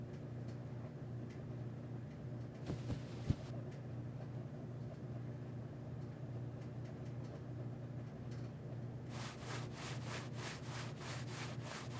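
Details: A steady low mechanical hum fills the room, broken by a few brief rustles and a run of rhythmic scratching bursts near the end, with no animal calls.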